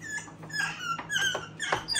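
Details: Pet female black-capped capuchin scrubbing at a kitchen sink at a monkey rescue, chattering as she works: a run of thin high squeaky chirps and short whistled notes.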